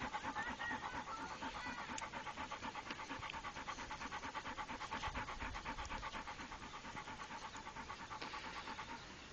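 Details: Trained Pit Bull Rako panting steadily, quick breathy pulses close together, nearly three per second, continuing without a break through the whole stretch.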